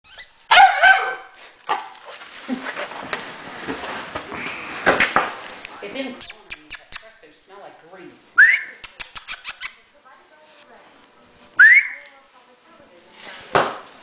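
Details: An Alaskan malamute puppy playing hide and seek gives a few short, high rising yips and whines between long quiet stretches, with scattered clatter, rustling and some human voices.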